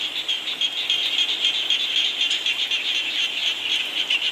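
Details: Frogs calling in falling rain at night, a dense high-pitched chorus of rapid pulsed notes held in a steady band, many callers overlapping continuously without pause.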